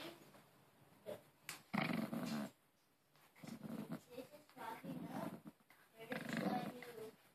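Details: Maltese named Harry, clutching his new Angry Birds toy and refusing to give it up. He gives three rough, low growls, each roughly a second long, with a person's voice between them telling him to drop it.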